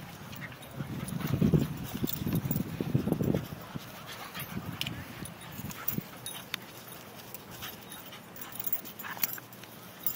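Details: Two dogs, Lilly and Dixie, playing at Centennial Park in Nashville; low, rough growling rumbles come in close bursts over the first four seconds, then give way to quieter scuffling and faint outdoor background.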